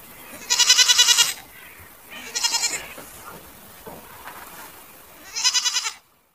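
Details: Goats calling with three separate bleats: a long loud quavering one, a shorter softer one, then after a pause another strong wavering bleat, with faint rustling between calls.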